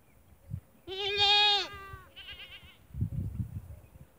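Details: Goats on a farm in the Thar desert, Tharparkar, Sindh, Pakistan: one loud, wavering bleat about a second long, then a shorter quavering bleat, with low rumbling thuds and background noise.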